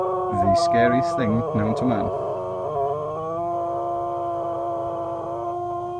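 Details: Mollie the cocker spaniel singing: a run of short, wavering yelps that settle into a long, steady, tonal howl held for several seconds, with a faint voice at the start.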